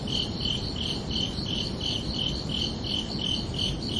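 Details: Evening crickets chirping beneath a night sky, crisp high pulses repeating evenly about every third of a second, constant in volume, with low rumbling ambience underneath.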